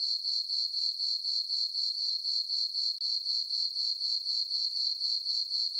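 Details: Crickets at night in a moonlit summer meadow on a farm produce an unbroken, piercing trill, rhythmically pulsing around four times per second at an even loudness, alone in the quiet.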